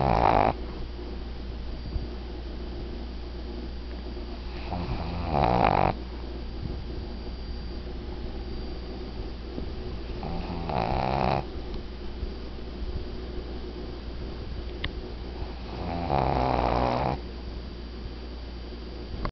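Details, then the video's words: A sleeping 12-year-old female Shih Tzu, a snorer since puppyhood, snores in slow, rasping bursts roughly every five to six seconds. "CoCo - My 12 yrs old snoring Shih Tzu"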